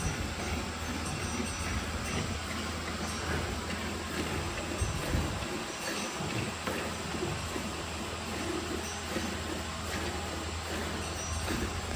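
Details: Steady loud mechanical roar, like milking machinery or a train, fills the whole stretch with no animal call audible.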